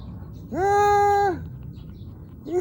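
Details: Puppy whine from one of three surviving puppies born January 2021 to a small mongrel at a grandmother's home in Seongsu-ri, Hongcheon County, Gangwon Province, in spring. A single steady tonal whine holds level for nearly a second, with background noise.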